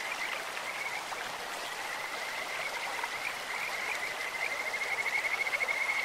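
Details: In a clear stream, a Kajika frog gives faint scattered notes, then breaks into a clear, quickening high trill toward the end, all against steady flowing-water noise.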